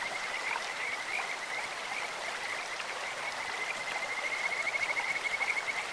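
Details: Kajika frogs calling in a clear stream: sweet, bird-like trilled notes near one steady high pitch, some long and rippling, rising into a fast pulsed run toward the end, over constant rushing water.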